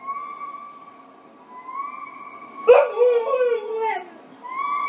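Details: Husky indoors, reacting to an animal shown on television; a single sliding, falling howl-like vocal lasting about a second and a half, over steady electronic tones and narration from the television.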